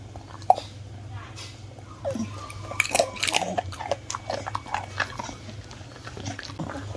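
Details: A one-year-old Miniature Bull Terrier named Bun-turng, kept as a pet indoors, eats crispy baked fruit; sharp crunches and bites come in uneven bursts over a steady low hum, with a few faint voices in the room.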